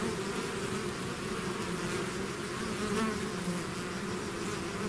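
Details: Bees swarming out of their hive produce a thick, unbroken buzzing drone, many wingbeats blending into layered low hums with slight wavering pitch over five seconds.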